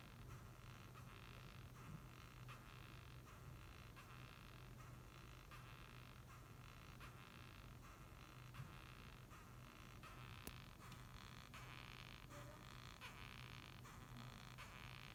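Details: Japanese rhinoceros beetle squeaking, its noise written as "gyui gyui gyu gyu": rasping, broadband bursts repeated roughly every 0.7 seconds over a steady low hum, with one sharp click midway.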